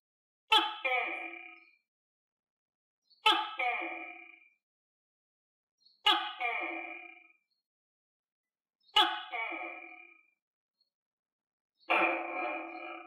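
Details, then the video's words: Tokay gecko, a pet fed on crickets, calling indoors: five loud, harsh, harmonic barking notes, each with a sharp attack and fading tail, repeated about every three seconds with silence between. "Tắc Kè Hoa Ăn Dế Và Nghe Tiếng Tắc Kè Kêu - Tokay Gecko Eat Crickets And Gecko Sound Effect"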